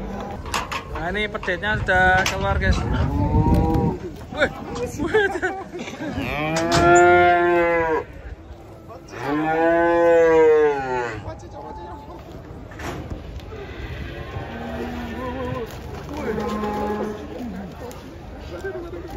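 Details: A group of cattle being unloaded from a truck: long, drawn-out harmonic moos rise and fall, two loud bellows in the middle lasting about two seconds each, with softer lowing, low rumbling and faint background chatter around them.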